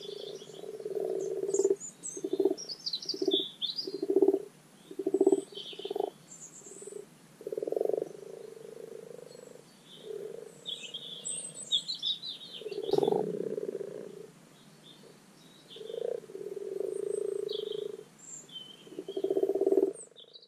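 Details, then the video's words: Common frogs spawning in spring at a garden wildlife pond give rapid rows of short low croaks, then longer grating purrs from many overlapping callers, with birdsong chirping faintly throughout and a brief thump midway. "The Spring Spawning Call of the Common Pond Frog Rana temporaria."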